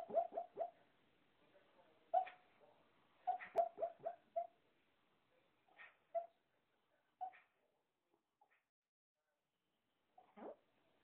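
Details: A sleeping Shih-Poo dog, dreaming, lets out soft squeaky whimpers and tiny yelps in quick clusters of three or four, then sparser single peeps with quiet pauses between.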